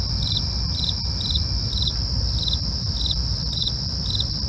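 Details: Regular high chirping of crickets in the night, one short pulse roughly every half second, set against sustained shrill insect drone and deep background rumble.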